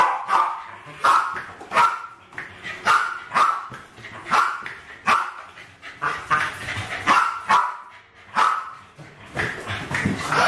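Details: Two West Highland White Terriers, around 7 and 8 years old, playing with balloons in a kitchen in 2012 and trying to kill them: sharp excited barks roughly every half second to second, with some harsher yappy bursts.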